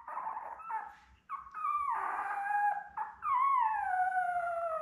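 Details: Belle's week-old Labrador Retriever litter of seven, born May 24, 2021, on an indoor puppy cam: sustained nasal whining cries, a brief pause, then a longer wavering whine falling slowly in pitch.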